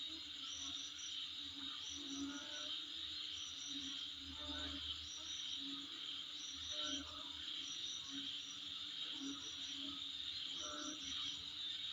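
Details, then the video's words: Night-style insect chorus heard in front of a home: an unbroken high whining band plus repeated rapid chirp trills, some faint lower murmuring in the background. "Sound Of Insect In Front Of My Place"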